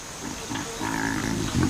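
Baboon grunts: low, throaty, harmonic calls given in a few short bursts that swell and fade over under two seconds, over faint background hiss.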